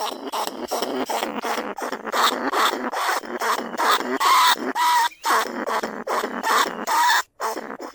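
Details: Lesser bandicoot rat, a rice-field pest, calling from a cage in a live recording made at Na Lao, Nong Khu Phai, used to lure rats from burrows into traps. Rapid series of harsh squeaky chirps, some with clear whistled tones, about two per second.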